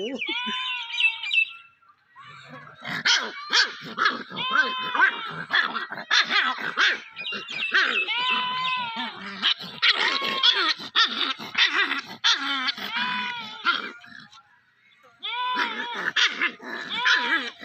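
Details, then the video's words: Young dog at play, yelping in quick high squeaks and drawn-out whines that rise and fall, near-continuous chatter broken by two brief pauses. "Baby dog playing | Dog baby sound"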